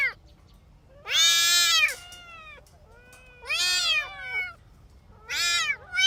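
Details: Three loud, bright, drawn-out meows roughly two seconds apart come from kittens playing on green grass, each with fainter overlapping cries trailing after.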